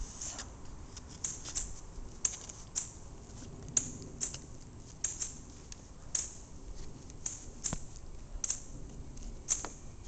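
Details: Sharp dry clicks and taps, like scissors or shuffling cards, repeat irregularly over a low background rumble, with no animal voice heard.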